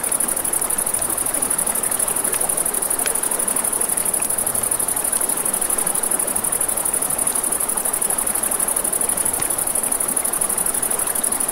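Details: Crickets trill steadily at night next to a river, a high, fast, rhythmic pulsing that never stops, with occasional campfire crackles and a soft, constant flow of water beneath.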